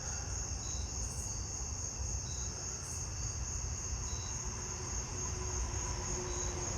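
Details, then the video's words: On a warm, humid night, a Carolina ground cricket in ground cover around a tree stump gives a steady, high, buzzy trill over a low background rumble. "I'm hearing another Carolina ground cricket. It sounds like it's in that ground cover right there around the tree stump."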